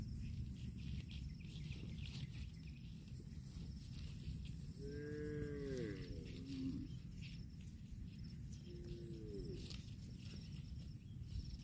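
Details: A grazing cow gives a longer wavering moo that rises and then falls, followed a few seconds later by a shorter, fainter moo. Steady low background hum throughout.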